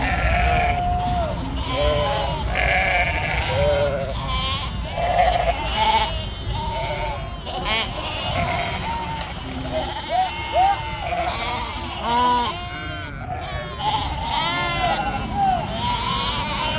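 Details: Many farm sheep in northern Spain calling together, a long stretch of dense, overlapping shaky bleats at mixed pitches with no clear pause.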